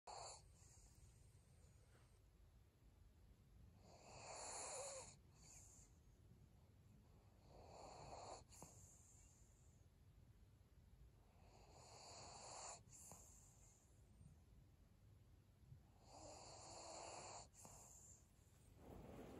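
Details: Maria, a senior pug, breathing in her sleep: soft, wheezy, snore-like breaths rising and falling about every four seconds, each a rough broad rush of air, with quiet pauses between.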